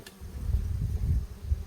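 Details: Yellow-legged hornet hovering in front of a native honeybee hive, waiting to snatch incoming bees in the hornet breeding season; a deep, pulsing wing hum swells in three or four waves over a steady low drone.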